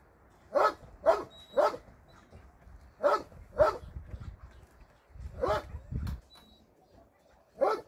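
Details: At a shelter for abandoned dogs on a Sunday volunteer day, dogs bark in a quick run of clipped barks, then a lower rougher pair of barks and a final single bark.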